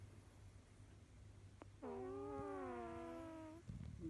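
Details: Pet cat Kojiro snoring: a soft click, then a sustained buzzy, whistle-like tone for about 1.7 seconds with layered overtones, gently falling, followed by brief rustling noises and a low background hum.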